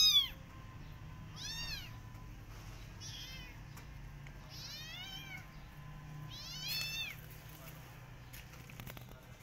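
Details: Walking in a garden, a Persian cat and her adopted kittens keep watch on rabbits. Four or five short, high, arching meows come at irregular intervals, with faint clicks and a low steady hum behind.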